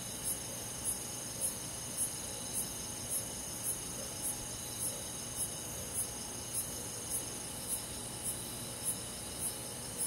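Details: Cricket on a quiet summer night in a forest, countryside insect chorus: high, sharp chirps about every half second over a steady high-pitched insect hum and faint low background rumble.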